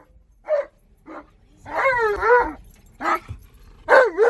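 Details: Alaskan Malamute named Tonka, excited inside a car while driving around a park, lets out a run of short yips followed by wavering, warbling howl-like cries with rich harmonics, each burst separated by brief pauses.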